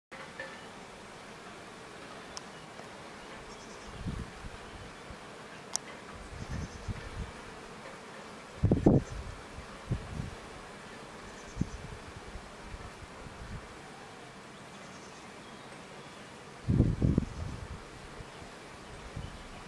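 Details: Bees flying out of and returning to their hive, low droning buzzes swelling briefly as individual insects pass close, strongest bursts around nine and seventeen seconds, over a soft steady background hum.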